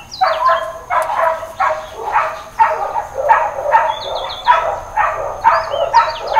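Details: Hawaiian Paradise Park dog on Labor Day, September 2, 2024, in a stretch of intermittent, uncontrolled barking. Loud, rapid barks, a little over one per second, continue throughout, with birds chirping in quick series behind them.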